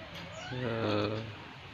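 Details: Beloved non-pedigree village cats (kucing kampung) kept as pets, named Boba, Amy Clow and Milent; one gives a single drawn-out, low, harmonic meow of about a second, swelling then fading, over quiet room noise.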